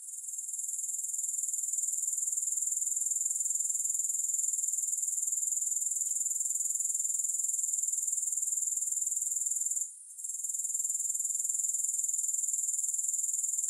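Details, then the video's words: Grasshoppers in a long relaxation recording without music. An unbroken, shrill, finely pulsed trill stays level in pitch for most of the clip, pausing once for a moment near ten seconds before continuing. "Grass Hopper Sounds"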